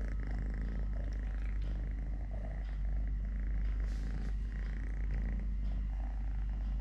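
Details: A three-legged pet cat purring steadily during play, feeding and walking: a deep, unbroken low rumble lasting the whole stretch, with faint rustling and handling sounds above it.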